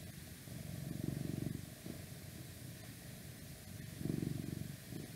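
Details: Domestic cat purring in a request recording, with outside noise around; low, steady rumbling purr that swells in two longer bursts and fades between them, with softer purring continuing throughout.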